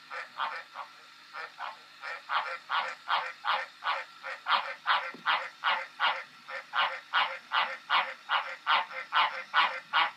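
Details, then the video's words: Loud, close green tree frog calling in a long unbroken run of about two dozen honking croaks, roughly two or three per second, each a rich buzzy note, with quiet surroundings. "Green tree frog croacking"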